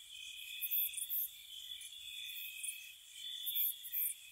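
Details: Spring night chorus of gentle crickets outside a cottage: an unbroken, thin, high trilling drone, with a few sharp, very high pulsed bursts grouped near the start and end.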